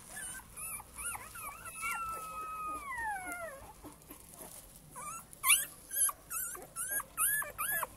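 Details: Male Cane Corso puppies from one litter whining: short rising-and-falling whimpers, one long sliding whine that drops in pitch, then sharper high yelps pulsing about twice a second.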